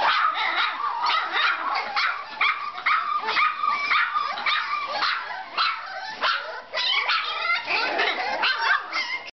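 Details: Jiva and Jericho, puppies aged three weeks, keep up a chorus of high yips, squeals and whiny barks, tightly packed and overlapping, with a brief dip near the end.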